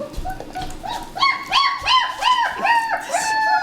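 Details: Three-and-a-half-week-old German Shepherd puppies, born December 27 2013, give strings of arched, squealing whines that build from soft to loud, overlapping calls from more than one pup, in a small indoor room.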